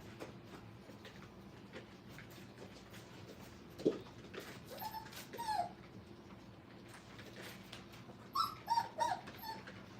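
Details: Brittany puppies, five weeks old, at play in a kennel; scattered short, high whines rise and fall around the middle, then a quick cluster of three or four yelps near the end over steady room hum.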